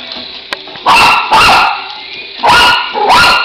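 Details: Poodle named Julie barking at a Dragon Fly micro helicopter: four loud, sharp barks in two pairs, each about a quarter second long, over a steady high electric whine from the toy's motor.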